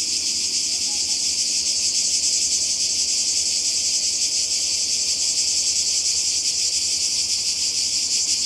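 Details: Cicadas calling by the sea in Croatia in summer 2020: a dense, steady high-pitched buzzing chorus, continuous and unbroken, with a faint rapid pulsing throughout.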